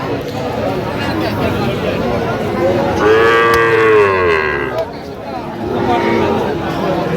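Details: At Aftabganj market in Mymensingh, Bangladesh, on 27 September 2025, a Sahiwal bull calf gives one loud, long, rising-then-falling moo lasting over a second, with traders haggling and a crowd murmuring throughout.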